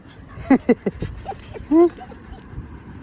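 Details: Puppies out on a late-night walk give three quick, sharp yips, then a longer, drawn-out whining cry, over quiet background noise and a few faint high squeaks.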